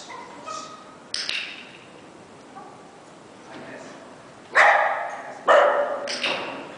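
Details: Dog barks during leash training of Kloi, a year-old dog poorly socialized as a puppy who used to bark at other dogs; two loud, broad barks about a second apart follow quieter sounds and a human voice.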